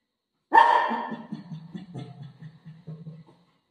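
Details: Pet dog waiting outside a washroom door for its owner; one sharp bark followed by a trailing series of low, soft grumbling whines fading out over three seconds.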